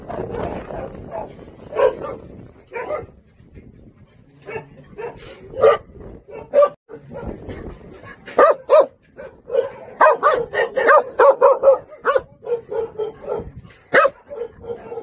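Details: Song Baekgu brothers, Jindo dogs at a local kennel, bark irregularly: sparse single barks at first, building into dense rapid volleys, with faint background rustling.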